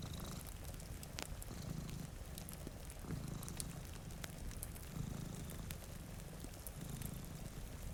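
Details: Deep rhythmic purring of two cats asleep before a rain-streaked window, pulsing roughly every one and a half seconds, with crackling fire pops and soft rainfall throughout.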